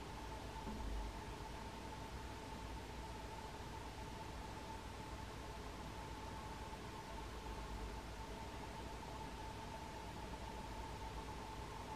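Only steady hiss and low rumble with a faint constant hum are heard; no animal calls come through.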